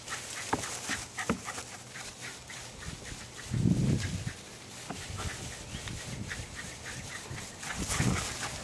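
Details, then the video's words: Two young Jack Russell Terriers, Jasper and Jaclyn, roughhousing and chasing in a backyard in Colony Woods, Lenexa, Kansas, May 5, 2009; busy stream of scuffling growls with a deep, throaty growl burst midway and another near the end. "Jasper and Jaclyn as 2 year old JRT's play fighting and chasing each other"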